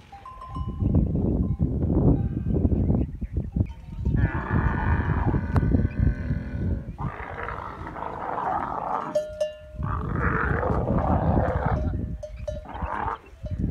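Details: Camels in masti, the rutting season: deep, throbbing gurgles in pulsing bursts, interleaved with louder roaring surges, while a faint tonal chime sounds in the background.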